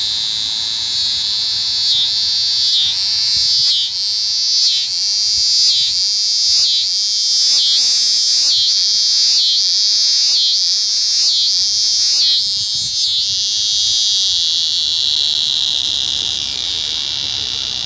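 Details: Eastern scissor-grinder cicada during unusual courtship behaviour, its shrill buzz broken into rhythmic grinding pulses roughly every half second before settling into a smooth sustained drone.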